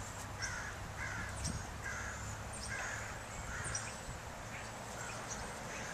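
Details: California ground squirrel giving a series of short, harsh chirps about every half second to three-quarters of a second, with a steady low hum and faint background noise throughout.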